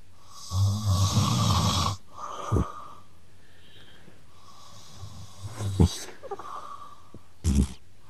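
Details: Ragdoll cat snoring indoors at home, its snores said to trade back and forth with a man's snoring; a long rough low snore, a brief snort, then further rasping snores and a sharp snort between quiet pauses.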